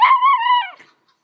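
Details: Little pet dog, worked up over a fish: a single short, high, tonal yelp-whine that holds steady then drops and fades within a second.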